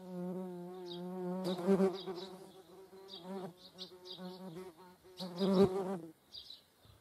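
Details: Median wasps (Dolichovespula media) and honeybees in Germany's Eifel: continuous low droning buzz that swells twice into louder passes, with faint high bird chirps behind.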